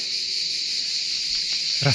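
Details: Cicadas singing loudly beside a road on a hot day on the French Atlantic coast: a continuous, dense, high buzzing drone without pauses, with a brief low thump and rustle near the end.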